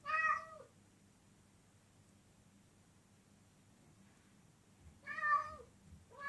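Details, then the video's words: Domestic cat uttering a loud harmonic meow, then a long silence before a second meow and the start of a third, with a low hum underneath. "Latest Top 10 Funny Sounds Cats Make!!"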